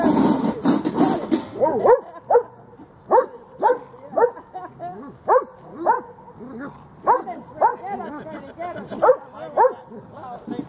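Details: Freddie and Miley, dogs at Lakewood dog park, tugging at a toy. After a moment of human talk, rising-falling barks and yelps come in irregular bursts about twice a second over a quiet background.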